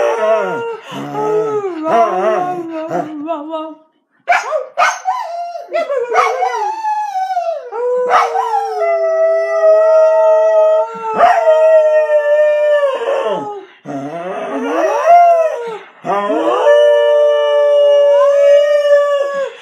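A Corgi howls in long, wavering, tuneful notes, sliding up and down as a person sings along.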